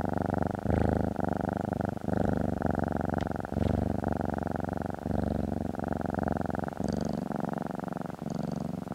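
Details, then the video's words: Close, strong purring from a house cat under a stroking hand, a rough buzzing drone that surges and dips with each breath, with a few faint higher scratches. "Cat Therapy 4Hrs of Stroking & Purring"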